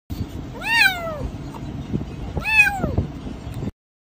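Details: Dark gray kitten giving two clear meows about two seconds apart, each rising then falling, over a steady low background rumble.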